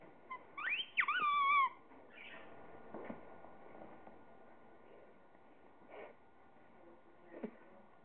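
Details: Pet Chihuahua playing with toys gives a high, wavering whine that bends up and down in pitch for under a second, then a few faint, scattered squeaks and soft clicks over a steady indoor hum.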